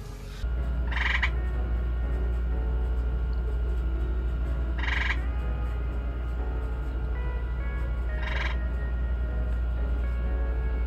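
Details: At night on a rainy mountain pond, male green frogs (Lithobates clamitans) give short, twangy single gulps a few seconds apart over a steady low rumble. A calm, slow-moving female, possibly gravid, sits among them.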